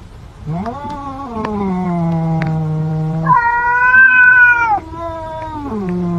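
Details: Cat fight during a meal, a cat growling at another: a sustained moaning yowl that starts low, jumps abruptly higher and louder mid-call, then drops back down to a low drawn growl.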